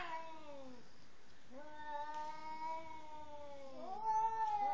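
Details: Cat showing anger toward a partner before mating; a falling yowl, then a long steady moaning wail that swells and rises into a higher strained cry at the end.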